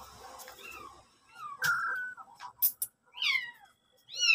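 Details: Mother cat and kitten indoors; short, faint mewing calls, some rising and falling, scattered through the clip with a few clicks and quiet gaps between them.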